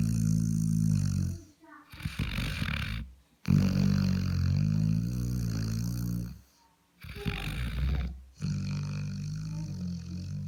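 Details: Labrador dozing with a bitten nose: heavy, buzzing low snores roll on for several seconds each, separated by brief silent pauses and airy, rasping intakes of breath.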